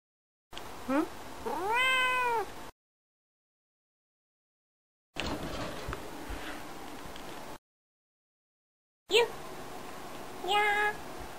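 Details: Female pet cat indoors on a lazy afternoon, playing with and kicking a favourite plush toy: a clear rising-then-falling meow near the start, then scuffling sounds of play and a short chirped meow later, broken by silent gaps.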